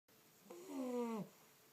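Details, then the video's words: A young English Bulldog gives his first snore, a single whistling, slightly falling snore lasting under a second. "English Bulldog Rocky Bullboa's first snore"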